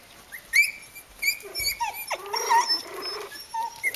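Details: Kooikerhondje puppy, three weeks old, from the Vom-Veenufer H litter, uttering clear high whistled whimpers and short squeaky yelps, some rising then falling, a few seconds of plaintive calls close up.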